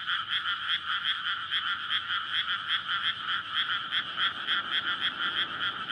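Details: Courting frogs chorusing at night in a rice field freshly flooded in May, a rare paddy among housing, SONY PCM-D100 recording. Thick layered croaking pulses run continuously, bright and even, over a soft low rumble.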